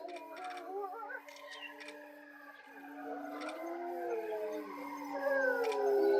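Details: Several grey wolves howl together at Tama Zoo around 3 pm. Long, steady low howls are held while other voices rise and waver above them, and the howls overlap into a swelling chorus that grows louder toward the end.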